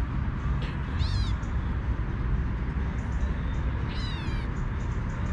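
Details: Young stray female kitten calling to her mother for milk, two thin meows that rise and then fall, about three seconds apart, against constant low-pitched background noise.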